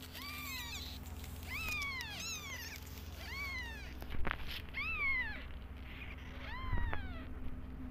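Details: Mother cat and kittens, unwell with side effects after antibiotics: a series of clear arching meows, about five in eight seconds, with rich harmonics, over a steady low hum.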